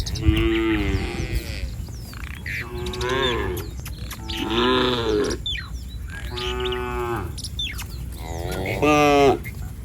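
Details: Cattle herd on a street mooing repeatedly, about five harmonic calls spread over ten seconds, each a second or so long, amid bird chirps and low background rumble.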